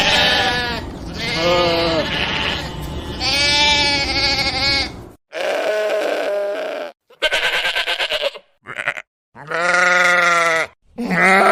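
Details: Sheep giving a series of long, nasal, wavering bleats, some drawn out for over a second, others short, with brief silent gaps between calls.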